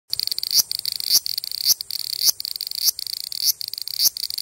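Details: A large brown cicada, recorded 14 July 2011, gives a harsh, sizzling buzz with brief louder pulses about twice a second.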